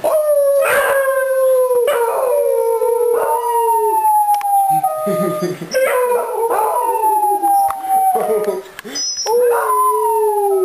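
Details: Three beagles, a mother and her two offspring, greet their owner returning home with long, wavering howls. Each note starts high and slides slowly downward, and the howls overlap and restart every second or two.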